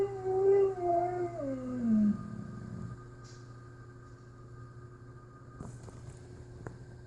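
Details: Pet husky making 'talking' howling sounds indoors, a wavering moan sliding downward over two seconds, followed by quiet room noise with a steady hum.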